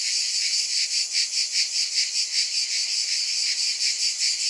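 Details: Throbbing wall of cicada sound: a high, sizzling buzz rising and falling in even beats about two and a half times each second, with nothing else audible.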